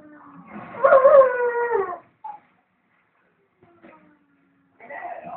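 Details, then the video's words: Dog howling while its owner was out at the shop for about ten minutes: one long, wavering howl rising then sliding down, followed by short quiet whimpers and a rougher yelp at the end. "DOGS HOWLING"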